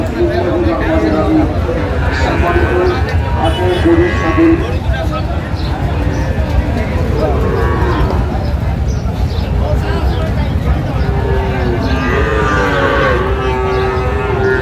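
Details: Sahiwal bull at a cattle market, bought by a farmer from Narayanganj, Bangladesh, on 15 May 2025; deep, drawn-out lowing runs through the clip beneath constant crowd chatter and bargaining voices.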